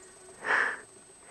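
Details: Small sambar deer stag, having sneaked in close, picks up human scent and gives a single loud, short, breathy honk lasting under half a second, over a quiet background.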